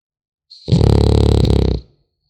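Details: A sleeping French Bulldog puppy gives one low, rough, rumbling snore lasting just over a second, steady and evenly pulsed, with the room otherwise silent before and after.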